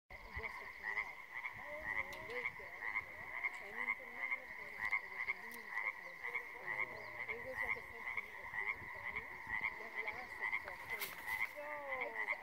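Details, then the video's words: Frogs croaking in a pond near the top of a cliff on Mt. Wheeler on April 25, 2019; many overlapping short warbling croaks under a steady high ringing tone, with a brief click burst near the end. "Frogs in Pond"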